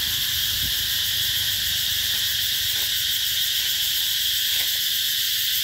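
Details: Summer cicada chorus recorded in 2021 at Mỹ Luôn eco-tourism area, Mekong Delta; a constant piercing high-pitched buzz fills the whole stretch, with a few soft faint clicks.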